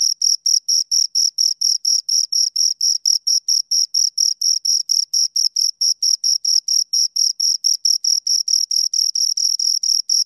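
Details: Continuous cricket chirping from two insects, rapid regular pulses repeated about four times a second without pause, shrill and steady, quiet background.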